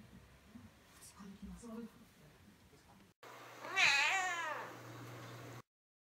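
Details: Domestic cat meowing to call its owners to lift it down, though able to climb down alone; one long, wavering, rising-then-falling meow after faint murmurs and a brief silence.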